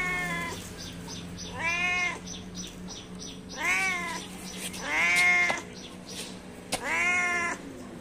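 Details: A cat calls to its companions with five arching, slightly strained meows, growing louder toward the middle, over a steady low hum and faint ticking.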